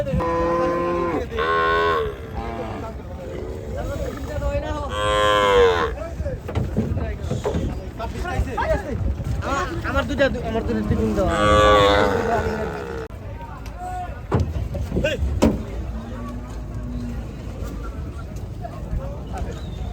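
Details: Gaiya cows, among the biggest cattle, on a cattle farm during unloading: several harmonic, wavering moos overlap and rise and fall through the stretch, with steady crowd and vehicle rumble underneath.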